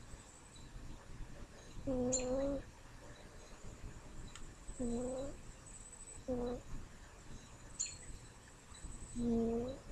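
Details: Smokey, a pet cat, snores indoors with low, humming, buzzy breaths that repeat every two to three seconds, each lasting about half a second, over faint room hiss.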